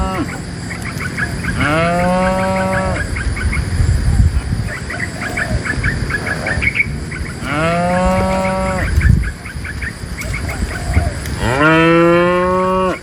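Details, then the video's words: Three drawn-out moos rise then hold steady, about five seconds apart, from tame cows being herded from the forest into the pen; repeated high chirps and a low rumble continue between calls. "A livestock herder in the sound of a cow mooo"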